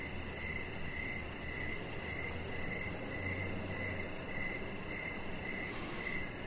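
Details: Evening crickets heard from a deck, giving evenly spaced high chirps roughly twice a second, with a faint rapid shrill trill above and a low droning hum underneath for the first few seconds.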